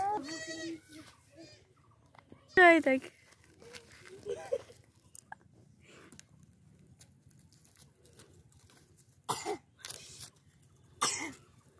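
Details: Baby goats beside a human baby: two quavering kid bleats in the first three seconds, then quiet rustles, clicks and brief human voices.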